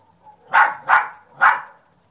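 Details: A dog named Sunny barks three times in quick succession, each bark short, loud and broad, spaced about half a second apart, with a soft faint sound just before; otherwise quiet.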